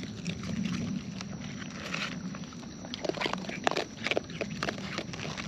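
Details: Wild raccoons munching close by: scattered crisp clicks and moist chomping sounds, busier in the second half, over a low murmuring background.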